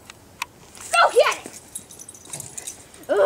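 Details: Emi, a dog, playing with Jackson and a new toy with a fake squirrel tail: a few high, wavering whiny yelps sliding down in pitch, loud and short, amid thumps and a person's encouraging voice.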